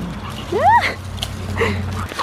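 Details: Dog giving a single rising-falling whine, followed by fainter yelps, over a steady low hum and background noise.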